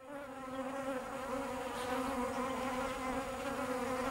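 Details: Bees buzzing steadily, a dense continuous drone with a low hum and stacked overtones, many insects together, level and unbroken throughout.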